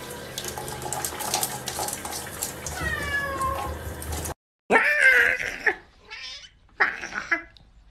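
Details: Pet cat giving a couple of short, bright meows after a cut, following several seconds of running tap water with faint mewing mixed into the splashing.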